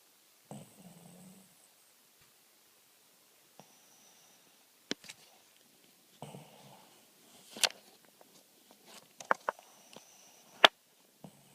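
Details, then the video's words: Sleeping dog snoring with two low, rasping snore bursts roughly six seconds apart, separated by near silence, while sharp clicks and light tapping noises are scattered through the quiet stretches. "Snoring dog"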